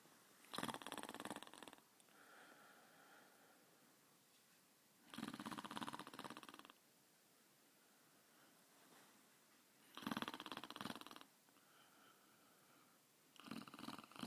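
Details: A sleeping basset hound snores in slow, rasping breaths, with one loud snore about every four to five seconds.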